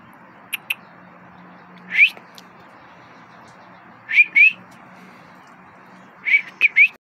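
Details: A pit bull–bull terrier mix makes thin, high-pitched whines, each a brief upward slide, often in quick pairs, every couple of seconds over a faint low hum, with a few soft clicks early on.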